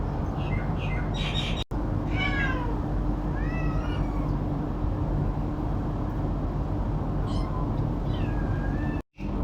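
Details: Domestic cats with a kitten, fighting over food and meowing for it; a handful of short, bent, harmonic meows in clusters, some higher and thinner, over a constant low droning background with two brief cuts in sound.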